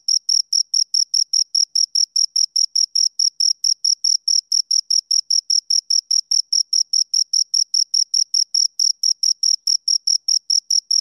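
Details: Steady, rhythmic cricket chirping from two insects: a long series of short, piercing chirps at an even pace of about four per second, clean and free of background noise.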